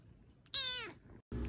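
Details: One clear kitten meow, slightly rising then falling away, followed by a sudden burst of unrelated noise after a brief cut.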